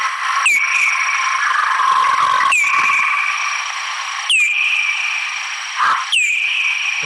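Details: Bat echolocation search-and-feeding call made audible and played back: evenly spaced sweeping chirps that drop and level off, about every two seconds, over a steady humming background.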